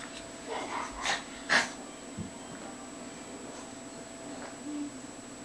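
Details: Bobo, a male Lhasa Apso lying in the sun during one of his "happy fits," gives a few brief, breathy snorting bursts in the first two seconds, then the room settles into a low steady hum.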